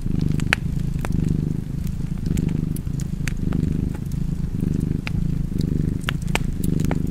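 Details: Soft, low rumbling purr of a cat, pulsing with its breathing about once a second, set against the clicking and popping of a wood fire in a fireplace.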